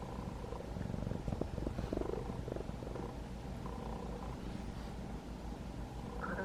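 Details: Steady rapid purr from a roughly five-month-old rescued kitten, one of two trapped siblings, being petted by its caretaker during its third week indoors; a continuous deep vibrating drone with brief brushing noises.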